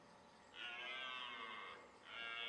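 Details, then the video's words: A red deer stag roars during the 2009 rutting season in the Leuvenum forest on the Veluwe, Netherlands, a long harsh bellow followed by another starting; finding: Red deer. "Bronst momenten, Edelhert"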